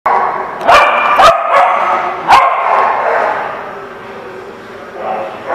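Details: Dogs recorded on 23 September 2016, with three or four sharp, short barks in the first two and a half seconds, then quieter murmuring voices and background chatter.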